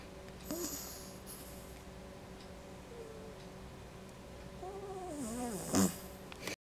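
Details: Quinny, a pet dog, snoring while asleep: a steady low rasping drone, with a short wavering tone that rises and falls near the end, followed by a brief sharp noise.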